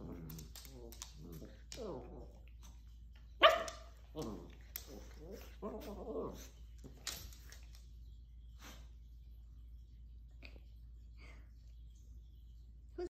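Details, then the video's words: Maltese puppies wrestling in play: yappy barks and short growly yelps clustered in the first half, with human speech mixed in, then quieter scuffling and occasional small sounds. "Paw-fessional Wrestling: Maltese Puppy Fight"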